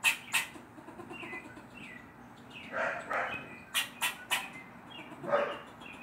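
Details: A neighborhood squirrel scolds an adopted black stray cat with short, harsh barks in irregular bursts: two at the opening, then a cluster of three near the fourth second, over softer bird chirps and rustling.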